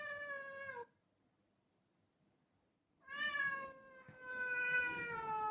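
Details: A black cat asks for the door to be opened with a short falling meow, a two-second pause, then a long, strong, slightly wavering meow lasting over two seconds.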